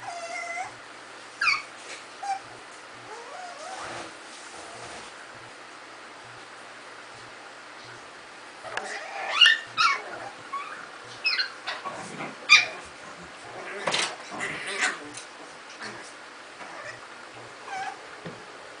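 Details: Afghan hound and miniature pinschers, puppies among them, playing together; scattered high whimpers and short yips, sparse at first, then crowding into a busier burst after the midpoint, with soft scuffling and thumps between calls.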